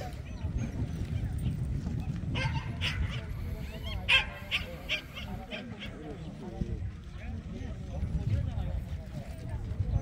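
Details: Barking Jindo dogs at the 67th Korea Jindo Dog Association best-Jindo selection show, short loud barks and higher yips clustered around the middle, with murmuring spectators and an amplified voice throughout.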